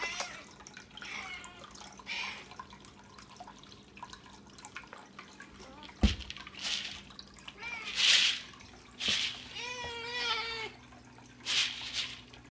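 An Exotic Shorthair cat gives short, clipped bark-like calls to ask for breakfast, over splashing water.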